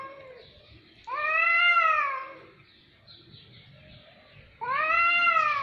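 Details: Loud, prolonged cat meows, two drawn-out wailing calls each lasting over a second, arched in pitch with rich harmonics, separated by a quieter stretch with faint softer mews.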